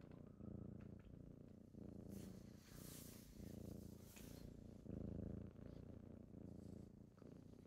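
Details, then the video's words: Morning purring from kittens waking someone up: close, low rumbling purr rising and falling in breath-length swells about every second, with a burst of soft rustling or fabric brushing in the middle. "Morning with kittens^^"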